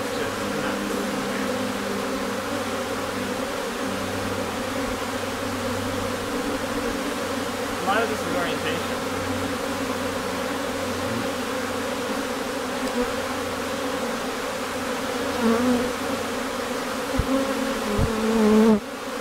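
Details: Honey bee colony in Newfoundland in May, a few days before it swarmed, bees flowing in and out of the hive: a steady, dense droning hum throughout, with brief louder buzzes of passing bees near the end and quiet talk.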